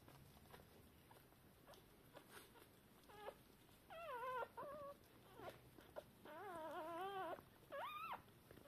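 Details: Newborn Shiba Inu puppies, a few hours after birth, deaf and blind, calling for their mother; scattered short squeaky whimpers, a few wavering harmonic cries, quiet background between them.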